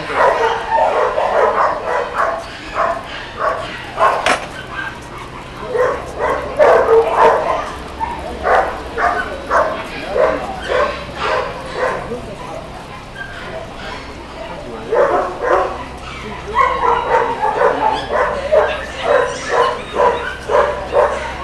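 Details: A dog in Wuhan barks in rapid, uneven bursts of short yelps and woofs, with pauses between runs, over a steady low mechanical hum.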